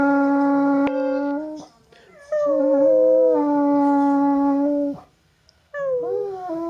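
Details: Alaskan Malamute singing and complaining: sustained, even-pitched howls with strong overtones, two long held notes separated by a short break, ending in a brief rising, whining phrase.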